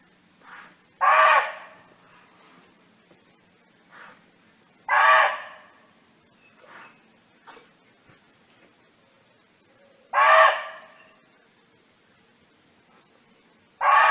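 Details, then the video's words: Free-roaming barking deer in nature, calling to its friends: four loud, hoarse, short barks spaced roughly four seconds apart, with fainter softer barks between and thin high bird chirps in the background. "เสียงร้องของเก้ง (Sound of Barking Deer)"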